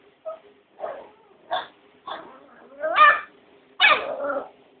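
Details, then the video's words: Foxy, a pet dog, upset because the puppy Opus got a bone and she did not, answers her owner with a run of whiny, yowling whimpers and rising moans in bursts under a second apart, with a person talking softly. "Foxy is ticked off because the puppy got a bone and she didn't"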